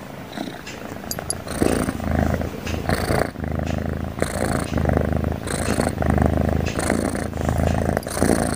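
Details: Cute cat asleep and snoring without pause, low vibrating rumbles pulsing with its breathing, some breaths ending in a faint wheezy hiss.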